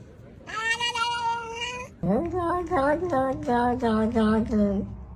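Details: Pet cat giving one steady, sustained meow, then a quick stuttering series of about eight short chattering calls at a lower pitch, like chattered talking.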